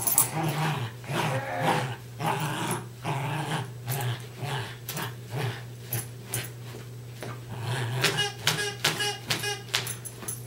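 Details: A pair of Westies, Darby and Riley, growl through a tug-of-war game, rapid pulsing rumbles about twice a second, with snorting and scuffling noises toward the end.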